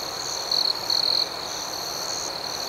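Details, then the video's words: Night-time crickets giving a continuous high, thin trill, broken by two brighter, louder buzzing bursts in the first second and a quick pulsed chirping layered above. "Soothing Cricket Sounds"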